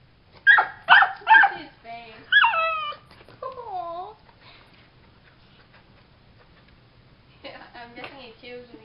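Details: Puppy Harley, stuck under a bed at night, gives three quick high barks, then a yap and drawn-out whining moans, with a person's voice speaking softly in between in a small room.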